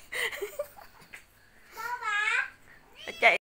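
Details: Cats suckling milk from a dog give a drawn-out, wavering meow midway, then a short sharp meow at the end; a woman talks in Vietnamese at the start, with a quiet indoor background.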